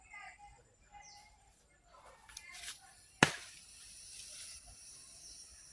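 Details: Indoor or outdoor scene with soft speech, scattered clicks and one sharp snap, but no animal calls heard.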